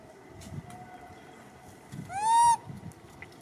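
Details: Monkey Martin, searching for his missing grandmother Malida, calls out once: a single loud, clear, arching tone lasting about half a second, rich in overtones, set against soft low background rumble.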